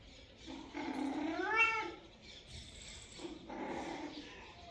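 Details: Kitten among its cat family giving thin mewing cries, one long rising-then-falling meow followed by fainter, breathy calls and a little faint background noise.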